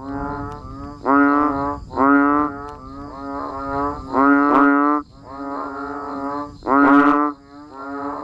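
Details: Banded bullfrogs and other frogs calling during rain in a natural rural setting: deep, nasal, droning calls about half a second to a second long, overlapping, with loud nearby calls alternating with softer ones from farther off.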